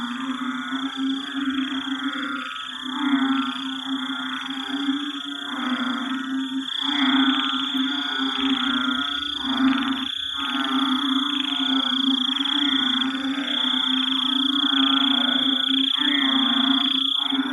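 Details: Night chorus of an estimated 30 to 50 frogs hidden in ferns and tall grass in a Singapore forest after heavy rain. Dense, rapid pulsed croaking overlaps continuously, set against steady high insect drones and a low humming tone.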